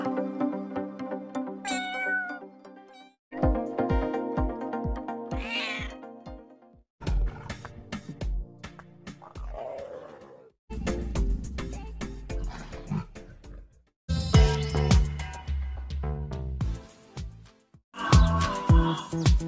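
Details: Domestic cat giving several separate meows, some rising then falling, heard in short bursts with pauses between them, set against continuous background music throughout.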